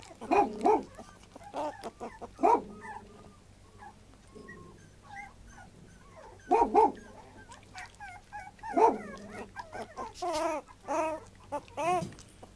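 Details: Puppy whimpering and yelping in short harmonic bursts, some doubled, separated by quiet pauses, with a faint steady low hum behind.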